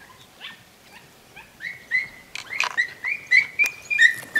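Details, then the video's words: Podenco Andaluz recorded 3 December 2011; faint short calls at first, then a rising run of high, tonal yelps coming about every third of a second, with clicks and knocks between them. "Podenco Andaluz"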